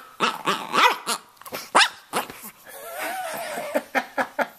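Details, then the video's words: Talkative Brussels Griffon Stanley, a red rough-coat male around two and a half years old from Miami, gives quick yips and a long wavering whine, then a run of short, evenly spaced yaps. "Stanley Talking"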